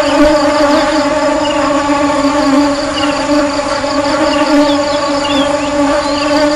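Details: Continuous humming buzz of honey bees, a steady low drone layered with bright harmonics. The hum swells and eases only slightly throughout, with faint higher flickers.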